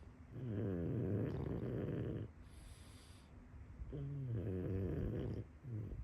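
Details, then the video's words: Boomer, a full breed pug, asleep and snoring: deep rattling snores with a fluttering vibration, two long drawn breaths and a short third, separated by quiet hissy pauses, recorded close. "Full Breed Pug Snore. The Sounds a Pug Makes!"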